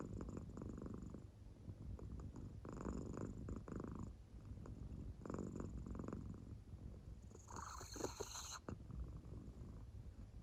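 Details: Purring of Claire, an American Shorthair fast asleep and showing no sign of waking; low throbbing drone with periodic breathy swells and a brief brighter rustle near the end.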